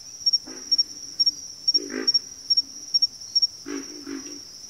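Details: Backwater frog chorus with low, rough grunting calls in short bursts, some doubled, set against a steady high-pitched cricket trill pulsing in quick paired chirps throughout.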